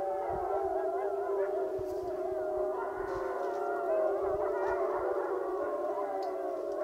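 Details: Wolf chorus from the Wapiti Lake pack coming together to howl: a steady wall of many voices, long sliding and quavering howls layered over one another without pause, with faint wind-like background noise.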